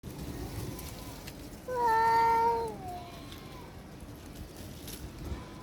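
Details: Domestic cat giving a threatening cry that drives another, female cat to flee in fear: a single drawn-out, tonal, harmonic wail that holds steady, then slides downward over about one second, with faint background noise.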